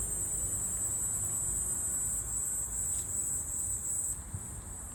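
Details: In autumn, a Walker's cicada keeps up a continuous shrill, high buzzing drone that stays steady and then eases slightly near the end, with low ambient rumble underneath.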